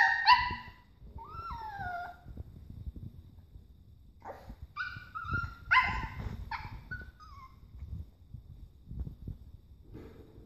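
A young Papillon gives thin, quavering howls, each note sliding down and trailing off, mixed with brief whimpers and yips. The bursts come in uneven clusters over a soft, low background rumble.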